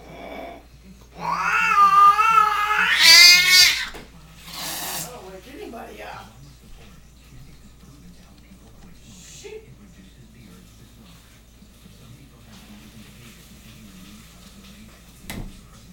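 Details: Two domestic cats mating: a loud, drawn-out wavering yowl climbs in pitch and swells over about three seconds, then a brief second cry follows. After that there is near silence with a low steady hum and one faint click.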